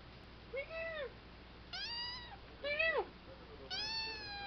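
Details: Three-month-old kitten meowing indoors: four short arched meows, each rising then falling, spaced about a second apart, with quiet gaps between.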